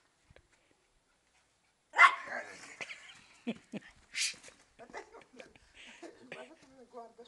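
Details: During a favourite chasing game, a female Maltese watches under a car for her playmate's feet; after a quiet start, one loud sudden bark rings out, followed by softer yelps mixed with people talking.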